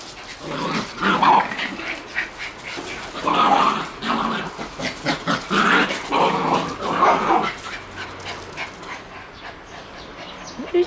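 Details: Shiba Inu puppies playing outside on 13 June; bursts of short yelping, growly vocalisations around four seconds apart in clusters, with rustling movement between them and a quieter stretch near the end.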